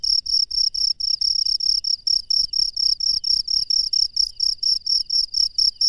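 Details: Cricket in the wild at night, shrill pulsed chirps repeated steadily, roughly two per second, with a harmonic overtone above and scattered soft low background noise.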